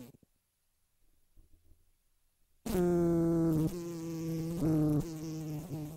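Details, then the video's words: Fly buzzing after a short near-silent start: a steady droning hum with a clear low pitch and stacked overtones, wavering slightly and swelling in places. "Sonido de Moscas"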